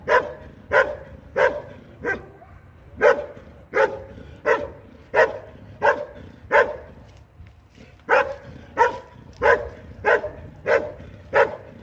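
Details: Belgian Malinois at a regional IPG 2 competition in Sin le Noble, France, 2023, barking steadily in loud, sharp single barks roughly every two-thirds of a second, evenly paced throughout.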